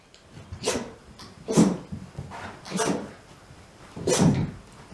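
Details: Mame, a Shiba Inu, sneezing again and again in a run of ten: four sharp, breathy bursts spaced about a second apart, each a brief explosive puff of noise, in a quiet small room.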